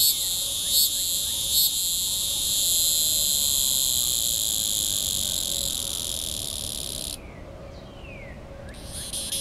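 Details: Neocicada hieroglyphica singing in a small oak in extreme southwest Missouri, 19 June 2010, mid-morning near 82 degrees; continuous piercing high drone with two early pulses, then cutting off abruptly after seven seconds before resuming.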